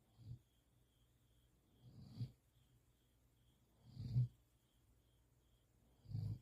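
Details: Standard Poodle, a large dog, snoring while sleeping with its head on a person's arm indoors; soft, low rumbling snores repeating roughly every two seconds, with a faint steady hum in the background.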